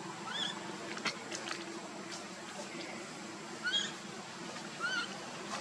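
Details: Baby monkey Luno calling to his father Tum to be picked up, with his sister Lucie coming to comfort him; three short, high, chirping squeaks with bent, wavering pitch, spaced irregularly over a steady low background hum.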